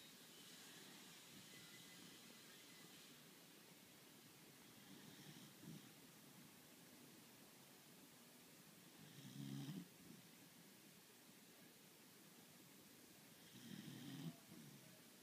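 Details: Lily, a pet beagle and heavy snorer, sleeping; soft, low rumbling snores swell about every four to five seconds over a steady background hiss, growing louder toward the end.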